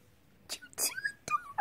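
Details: A female Devon Rex cat, being silly and playful, gives short, high chirping mews in greeting to her owner, with a person's voice nearby.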